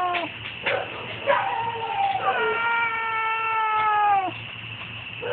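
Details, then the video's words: Domestic cat making strange noises, phone recording: a few short chirps and a falling whine, then a long sustained yowl lasting about two seconds, steady and slightly descending, with a constant low hum underneath. "Cat making strange noises"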